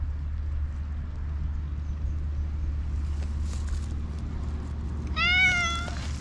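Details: Stray black cat gives a single drawn-out meow near the end, clear stacked harmonics rising then level, after several seconds of steady low engine-like rumble and faint rustling.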